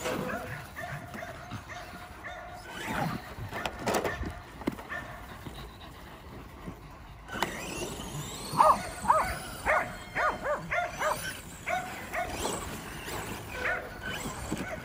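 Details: Kerry Blue Terriers chasing a Traxxas E-Revo RC car; scattered barks at first under heavy rumble, then a clearer run of repeated barks about twice a second alongside a whirring motor.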